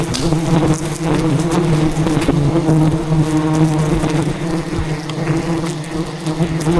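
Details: Thousands of aggressive wild bees defending their colony as a giant hidden hive is harvested by traditional honey hunting in dense rainforest; a steady, dense low drone of many overlapping wingbeats with sharp clicks and knocks throughout.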